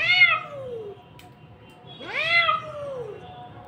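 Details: Kitten giving two clear meows about two seconds apart, each rising then falling in a bright harmonic arc, with quiet background between calls.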